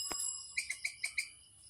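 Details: Squirrel around Chapraishirhat: a quick series of five sharp, high chirps about a tenth of a second apart, each with a bright ringing edge, after a single short click at the start.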